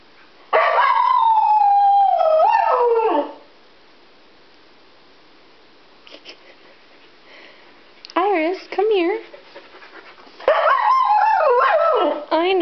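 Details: Siberian Husky named Iris, indoors, worked up after being left behind when family went to PetSmart without her; long wavering howls sliding downward, then short wobbling yowls and another drawn-out howl, with brief quiet gaps.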